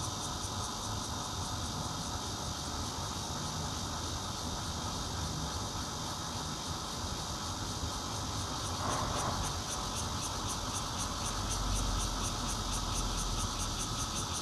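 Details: Intermittent bear cicada song, recorded 16 June 2013 at a fourth-floor home in Zhongli, Taiwan, on a Nokia Lumia 820: a steady hissing drone with fast regular high pulsing, and a brief louder burst near nine seconds, over constant vehicle noise.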